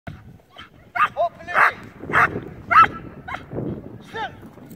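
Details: Belgian Malinois, an imported male dog trained in protection work, barking in short sharp bursts about once a second during a training session, with a man's excited shouting mixed in.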